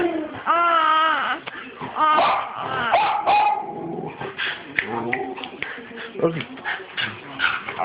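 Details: Dog named Archer giving monster noises, taped on an Android phone on 12/4/2011. Long quavering whines open the passage, followed by choppy grumbling yelps and throaty sounds in irregular bursts, with a voice mixed in.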